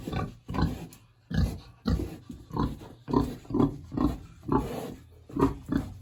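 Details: Hungry large pig in a village house on a warm autumn day, producing a continuous series of rough grunts about twice a second, each short and breathy, over a low steady background rumble.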